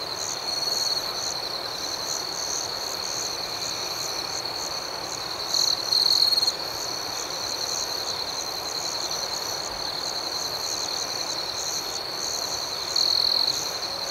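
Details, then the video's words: Crickets at night in a steady high-pitched chorus: a continuous ringing trill under a faster pulsing chirp about four times a second, with a few short, louder bursts standing out near six and thirteen seconds. "Soothing Cricket Sounds"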